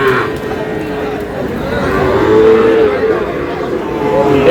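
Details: Sahiwal bulls and calves for sale at the opening of Aftabganj cattle market in Dinajpur on 11 July: a long, steady mid-pitched moo, then a shorter one, under bargaining voices and market chatter.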